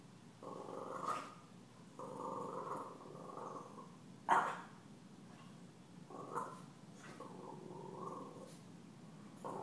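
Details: Puppy Stella, taunted at home by deaf cat Gomez, gives long sustained whining growls in several stretches, broken by one sudden sharp bark near the middle.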